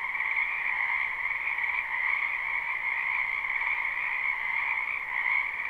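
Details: Frogs crowding a spring wetland behind a house, captured live with no looping: a seamless rattling, trilled croak chorus, even and dense throughout, its brighter upper tone dominating over a softer middle layer.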